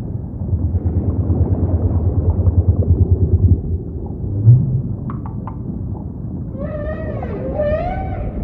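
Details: Humpback whale song amid ocean ambience: low pulsing rumbles for several seconds, a brief swell, then a run of harmonic upswept cries rising and falling near the end.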